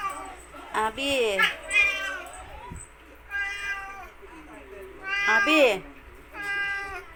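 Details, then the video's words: Attention-seeking cat giving about five insistent meows, each a bright, wavering wail that rises and bends down, spaced a second or two apart, over low household hum and occasional human speech. "CATS need more attention"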